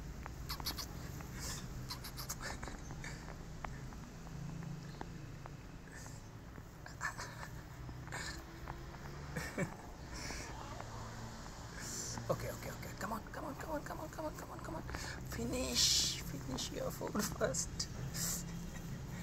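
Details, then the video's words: Several weaned rescue feral kittens growl at one another while eating, competing for food: a continuous low rumbling growl under scattered clicking eating noises, with a woman speaking softly. "While Sibling Kittens Are Growling For Food"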